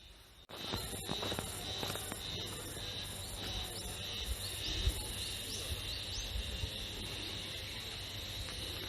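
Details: Haruzemi (spring cicada), locally once called matsuzemi, singing near Taka town, Kita-Harima, Hyogo, Japan, on 14 May 2021, smartphone recording; a steady high shrill drone with repeated pulsing strokes on top, soft voices behind.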